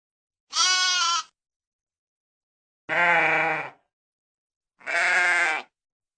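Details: Sheep bleating three times, each call about a second long and spaced roughly two seconds apart, harsh and wavering with rich buzzy overtones, in otherwise silent surroundings.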